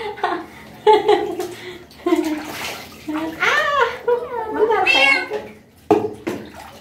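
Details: Street cat bathed for the first time, meowing repeatedly with rising and falling wavering cries amid running and splashing water.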